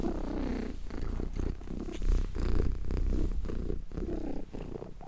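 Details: Steady, calming purr of a contented cat: a dense low rumble pulsing roughly 136 times a minute, even in loudness throughout.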